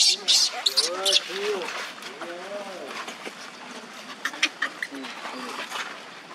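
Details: Young monkey Leo crying on the ground while Libby torments him; a run of arched, wavering whimpering cries rising and falling in pitch, mixed with sharp scratchy high bursts at the start and near the end, then fading softer.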